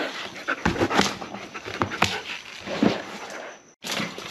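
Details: Panting breaths and thin whimpers from a German Shepherd during play, a few clear tonal squeaks over breathy bursts, ending with a short gap and a renewed noisy rush.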